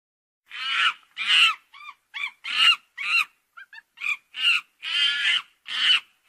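A monkey gives harsh, screechy calls mixed with short, tonal squeaks in an uneven series.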